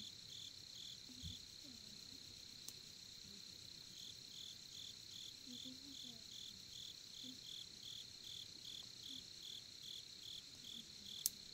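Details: Crickets at a campsite in Korea beside a campfire, giving rapid pulsed chirps about two or three per second over a steady high continuous trill, with faint low murmurs and soft knocks in the background.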